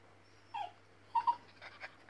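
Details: West Highland White Terrier puppy indoors, watching a squirrel on TV: a short high whine, then a quick pair of yelping whimpers and softer trailing whines, all quiet, over a steady low electrical hum.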